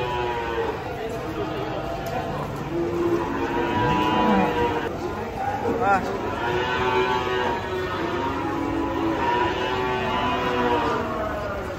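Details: Cow that slipped while being unloaded from a truck gives several long, wavering moos that rise and fall over about twelve seconds, amid excited human voices and music.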